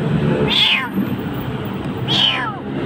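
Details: Frightened kitten crying in a dark spot in Jakarta, Indonesia: two high, piercing meows about 1.5 seconds apart, each sliding downward, with steady low background noise.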